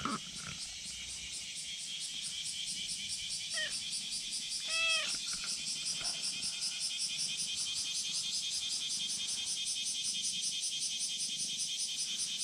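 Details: Friendly tabby-and-white cat on a steep slope calls out, wanting to be stroked: a short meow, then a longer bending meow with rich harmonics, then a brief chirp, over dense high-pitched insect buzzing.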